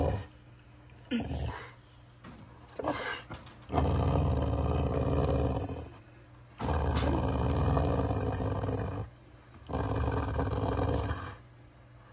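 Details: Beau the dog growls his Chewbacca-style "let's get going" sound, three long deep rumbling growls of about two seconds each, separated by short quiet breaks.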